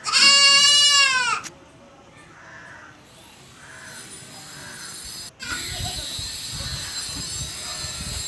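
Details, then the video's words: Goat giving one loud, long, wavering bleat rich in harmonics for about a second and a half, then quieter background murmuring and faint distant sounds with a brief click. "Funny Goat Baa Baa Sound"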